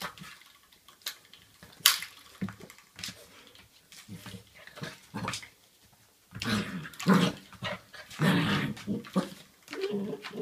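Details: Kelly, a black Labrador Retriever puppy, tussles with a door stop in a small room; scattered knocks and scraping give way to a rough stretch of growling and snuffling noise in the second half.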